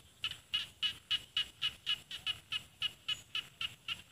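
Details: Rice frog calling from rice fields in Isan, northeastern Thailand, with mountains behind: sharp, high, clicking croaks repeated evenly, about four a second, in a steady run of fourteen notes over a quiet background.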